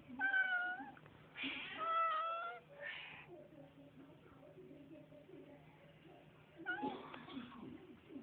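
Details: Indoors, pet cats greeted by their owner, among them Lucy and Evie, give a run of drawn-out, bending meows in quick succession, overlapping one another, followed by a quieter pause with soft voice sounds and one more strained meow near the end.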